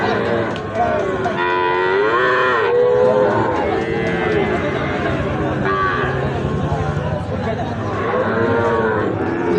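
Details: Repeated drawn-out lowing from cattle at Ambari livestock market, where Sahiwal bull calves are traded; rising-then-falling moos come in waves, with constant crowd chatter and talk of prices underneath.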